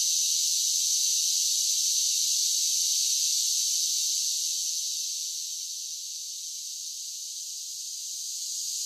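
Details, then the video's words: Cicadas singing in summer make a high, rasping, continuous drone. It softens noticeably around the middle, then rises again near the end. No other sounds are present. "10 Hours of Cicada Sounds for Relaxation with Soothing Summer Nature Sounds"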